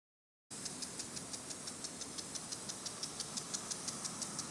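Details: In Hyakunen Park, Gifu Prefecture, Japan, on a 37°C July morning, a cicada call pulses in rapid, regular beats about three times a second over a high hiss, after a moment of silence at the start.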